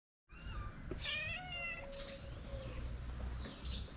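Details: Hungry cat among six gathered at feeding time in a small shelter for abandoned kittens in Morocco; one drawn-out, strongly harmonic meow, then a softer, lower tonal mew trailing off, over steady low background rumble.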